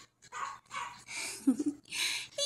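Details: A Japanese Chin dog being hugged: four short breathy, snuffling bursts with a brief low whine in the middle, separated by quiet gaps.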